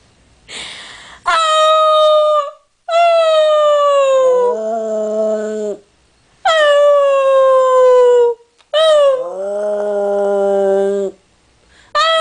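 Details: Paola, a pet dog, gives a run of long howls, each sliding gently downward, with short gaps between them. A deeper sustained tone sometimes joins partway through each howl.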